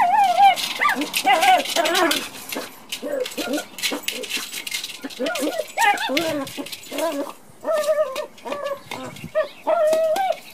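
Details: Pet Chihuahua playing with a toy bowling ball, its mother dog briefly present: repeated high whining yelps and whimpers, many short wavering cries in quick bursts, with some background rustling.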